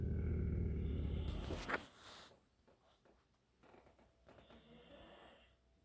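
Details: One dog growls while another snores: a low, rumbling, harmonic growl lasts close to two seconds and ends in a sharp burst, followed by softer breathy snoring pulses.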